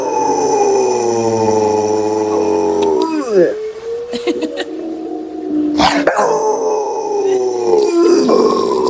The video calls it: Rottweiler howling 🐶